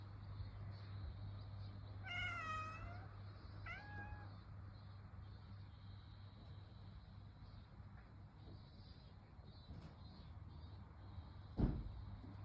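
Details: Calico cat meowing in summer: two short meows near two seconds, the first a longer bending cry, the second brief, then quiet with a steady low hum and a sharp knock near the end.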